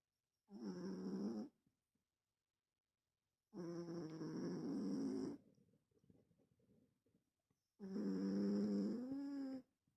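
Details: Sleeping cat snoring as it dreams indoors: three long, droning, harmonic snores roughly every three to four seconds, the last bending slightly upward, with soft breathy rustle between; constant faint high-pitched hum in the room.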